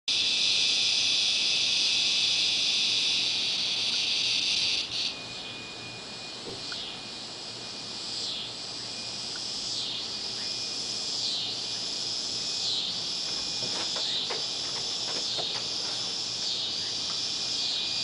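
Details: Cicadas singing at dusk in Baton Rouge: a loud, dense high buzz for the first five seconds, then a softer pulsing drone that swells and fades in regular waves about every one and a half seconds.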